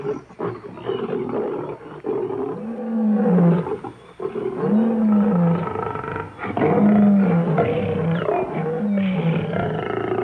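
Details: Lion in the African bushveld uttering repeated rough, rising-then-falling roaring calls about every two seconds, harsh and noisy, in a continuous dense sequence.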